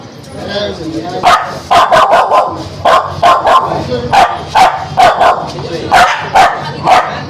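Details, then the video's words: Spitz dog barking aggressively in a fast, steady run of sharp, rough barks, roughly a dozen in quick succession with little pause between them. "Spitz Dog🦮 || Aggressive dog🐾 || Barking dog || Angry dog || Dog sound effect"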